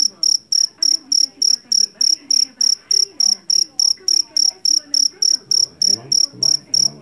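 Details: Field cricket known locally as jangkrik jeliteng or Javanese cricket, caught in a rice field and famed for its loud voice. Shrill, high chirps pulse steadily about three times a second, roughly two dozen in all, over a faint low murmur.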